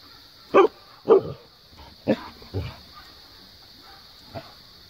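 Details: Siberian husky Maya barking at Jo, an Australian Cattle Dog, to get down from the play set and come play; four sharp, husky barks spaced about half a second to a second apart, then a faint final yip.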